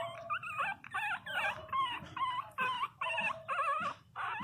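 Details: Loud crying of 22-day-old Pinscher puppies: a steady chain of wavering, harmonic-rich whines, each about half a second long, repeated more than twice a second with brief gaps.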